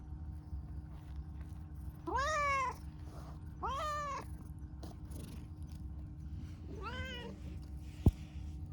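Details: Pastel calico cat, a stray, affectionate and talkative: three clear harmonic meows at about two, four and seven seconds, each rising then falling, over a low steady background hum, with a sharp click near the end.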